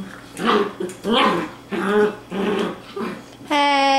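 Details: Dachshund playing with her new puppy sister, giving a run of low, rough growling bursts roughly every half second, then ending on a sudden high, drawn-out whine.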